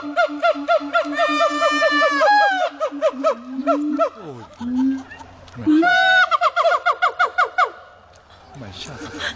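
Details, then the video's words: A siamang at Dubbo zoo, New South Wales, howls in loud, rapid, repeated hoots accelerating into barking whoops, with deep booming swoops between; siamang. "siamang monkey's howling.... xD"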